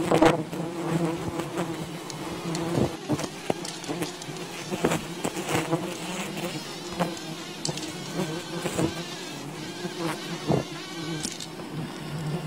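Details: Swarm of wild bees at a colony being raided for honey, droning in a continuous low hum beneath frequent sharp cracks, taps and rustling from the harvesters' work.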